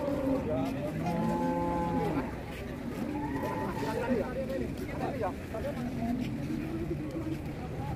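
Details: Enraged cattle, one of a set of raging cows: a low, flat, drawn-out moo of about a second with a rich harmonic stack, then further softer lowing amid people talking and faint background music.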